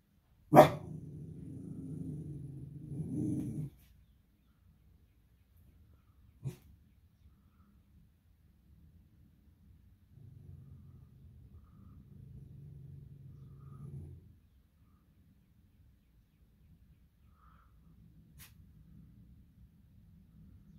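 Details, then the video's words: Pet beagle named Maple barking and howling indoors at something outside she dislikes; a sharp bark opens a low, droning howl of about three seconds, a second long low grumbling howl follows mid-clip, then quieter low murmurs and a few faint clicks. "beagle howls and barks at nothing"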